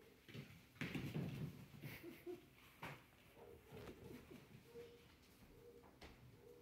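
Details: Old English Sheepdog puppies, five weeks old, whining and whimpering indoors while seeking attention; thin high whines at a steady pitch repeat several times, mixed with snuffling and soft rustling.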